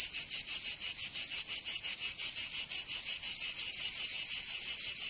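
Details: Summer cicada chorus from Provence in the south of France, a shrill metallic buzz broken into very regular pulses, roughly three each second, filling the whole stretch without pause.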